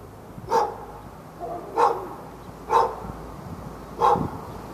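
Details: A fenced-in dog barks at a neighbouring dog in Raleigh, North Carolina, on February 15, 2012. Four evenly spaced single barks come about every second and a quarter, with steady low background noise.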